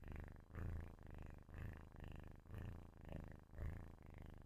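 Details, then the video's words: Close-up loud purring of a kitten sleeping, a low buzzy drone swelling and fading with each breath, about one cycle per second, steady and uninterrupted. "loud kitten purrrr kucing ngorok"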